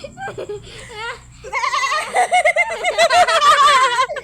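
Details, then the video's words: Goat bleating in a quavering, laugh-like rhythm, wavering vibrato calls repeated rapidly in the second half, with people laughing and talking in Filipino around it. "TAWANG-TAWA SA KAMBING"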